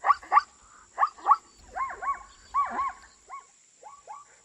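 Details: Zebra barking: two sharp yelps, two more, then arching, wavering honks and a few softer clipped notes trailing away, with a steady high electrical whine in the background.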